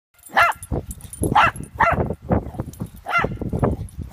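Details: Shih Tzu puppy playing with another young Shih Tzu on a play date; short, sharp, high yapping barks in quick bursts, about five across four seconds, with lower rough growly sounds in between.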